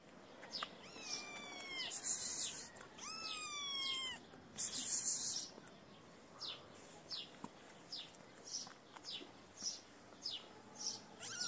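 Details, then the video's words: Hungry motherless feral kittens mewing: two clear, drawn-out meows that rise and then hold steady, followed by a run of short, rhythmic, crackly smacking bursts, with quieter meows near the end. "Sweet Kittens Do Not Have A Mother And Are Hungry."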